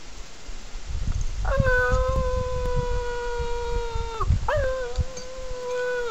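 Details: A Pekingese, worked up by animal whining videos played on a laptop, gives a long, steady, slightly falling whine, then starts another, over low rumbling thumps.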